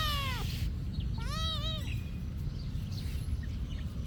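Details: At a monastery, a cat's meow is cut off at the start, then one clear, arched meow follows, leaving quiet low rumbling for the remaining seconds.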